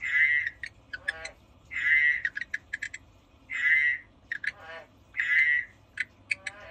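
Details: A pet frog croaking: four loud buzzy croaks about every one and a half seconds, separated by bursts of sharp clicking taps and softer rasping notes.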